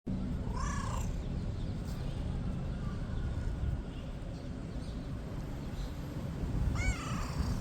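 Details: A kitten being petted gives two short, high, squeaky mews over a steady low rumble.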